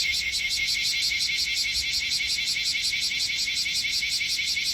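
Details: Bear cicada among many gathered on a potted tree on artificial turf, Minokamo, Gifu, Japan, July 2024; loud, harsh pulsing buzz, rapid rhythmic throbbing repeated almost three times a second.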